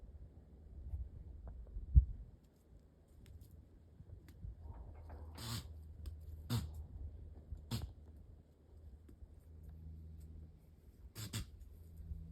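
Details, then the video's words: Sniffling young deer, part of a wild family in a Northern Arizona backyard, lets out short, sharp sneezes at roughly six, seven, eight and eleven seconds against a quiet, low-humming background. "Poor Little Guy Couldn't Stop Sneezing! You can totally hear it!"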